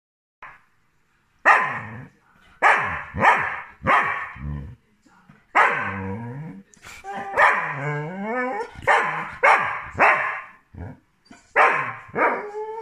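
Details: Border Collie wanting to play gives a run of sharp, loud barks, then mixes in whiny, wavering yelps and rising, howl-like whines, with short pauses between bursts.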